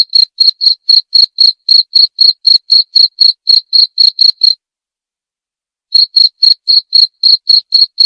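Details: Cricket chirps, described as a calming nature sound for sleep that also drives off rats: quick regular high chirps, a pause of about one and a half seconds, then the same rhythm again.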